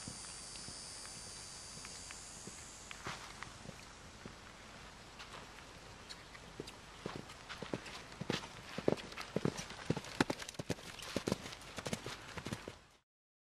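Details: Seven-year-old male Belgian Draft crossed with Quarter Horse, 15.3 hands and an experienced fox hunter, heard as quiet scattered steps that build from about six seconds into a strong, regular run of crisp clopping hoofbeats, with a high hiss early on.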